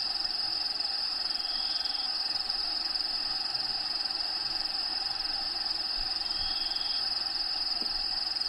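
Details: Crickets inside a bearded dragon vivarium housing a pet bearded dragon named Diego, at feeding time: a steady, unbroken high-pitched trill with two faint short whistled notes and a low rumble underneath.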